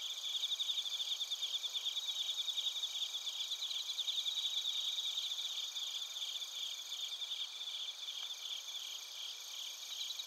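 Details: Chorus of bell crickets and crickets from Narita, Chiba, Japan, captured with a TASCAM Portacapture X8; fainter, dense overlapping high trills pulse continuously with several ringing tones stacked together, over a soft background hiss.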